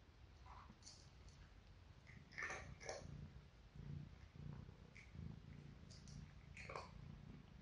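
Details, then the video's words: Dry cat food eaten by four cats, two grown sisters and two kittens: a few crisp crunches over a steady low rumbling, purr-like hum that swells and fades through the middle, recorded for relaxation. "Cat food eating sound"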